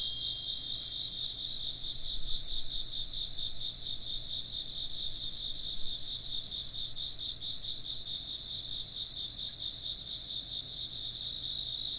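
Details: Insects chirping in a dense, steady chorus of high trilling bands layered at several pitches, with fast pulsing throughout and no pauses; no other clear sounds, offered as ambient sound for work or sleep.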